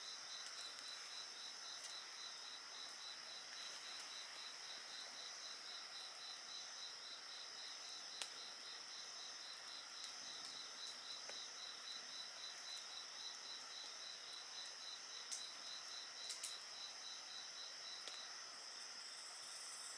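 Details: Insects sing next to a bonfire. Rapid, even chirps of about four per second run over layered high, hissing trills, broken by scattered crackles and snaps from the burning wood.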